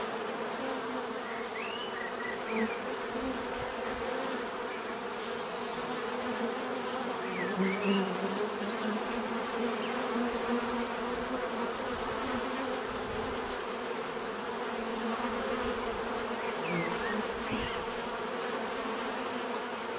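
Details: Bees humming steadily in nature, a continuous layered drone that swells as individual bees fly nearer, while small birds chirp faintly now and then in the background.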